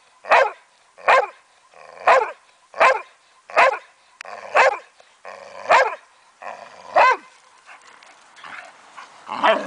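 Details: A 9-year-old Boxer, playing in a backyard with a 12-year-old foster dog, gives a steady series of about nine sharp, loud barks, roughly one every 0.7 seconds. They are followed by scuffling, fainter noises and a final bark.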